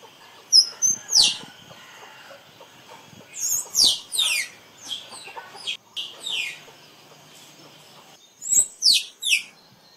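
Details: Squirrel calling. Shrill, high, downward-sweeping squeaks come in uneven bursts of two to four, with quiet gaps between groups, against a faint steady background hiss.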